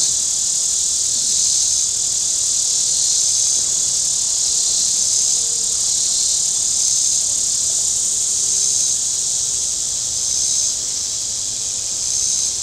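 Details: On a warm Saturday at Table Rock Lake in southern Missouri, cicadas on the shore give a steady, high, hissing drone that barely wavers, with boating sounds around.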